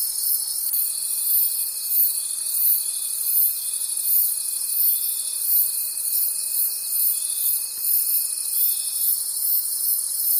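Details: Night-time forest crickets: a bright, high, pulsing chorus rises and falls rhythmically throughout, while one clear unbroken tone runs from just after the start until near the end.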